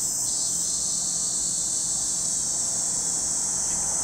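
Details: Cicadas at Lake Kamo in Sado City, Niigata Prefecture, Japan: a steady, unbroken high buzzing drone that stays level throughout, with a faint low rumble underneath.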